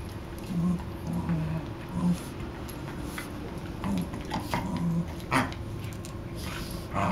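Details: Two playing dogs named Riley and Buddy: deep throaty growls rise and fall in short uneven pulses, about eighteen a minute, mixed with snorts and a sudden louder snarl near the end.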